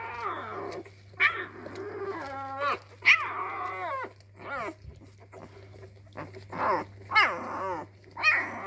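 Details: Labrador puppy discovering its voice in a small room: a string of whiny, wavering howls and harsh growly barks, some notes sliding downward, sounding in irregular bursts about every second, with a steady electrical hum underneath.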